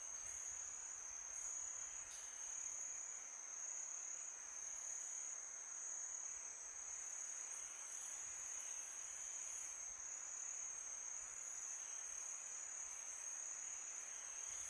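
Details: Summer night crickets keep up a shrill, even trill without pause, a few faint brief ticks above it, while a soft wind hiss fills the background.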